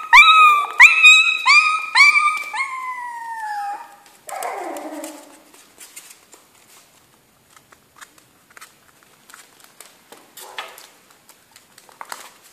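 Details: Jack Russell Terrier puppies in a kennel give a run of high, harmonic whining cries that slide downward, then rustling and faint scattered clicks and movement noises follow in a quiet room.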